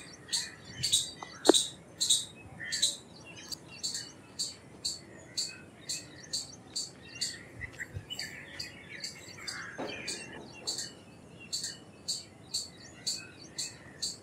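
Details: Indian palm squirrel chattering: sharp, high chips repeated roughly twice a second in an uneven run, with softer lower chirps and warbles in the background and a few louder clicks early on.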